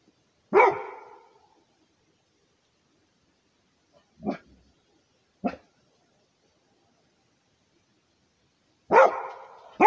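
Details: Territorial barking from a Rhodesian Ridgeback, two strong resonant barks about eight seconds apart with two brief softer barks between them, separated by silence.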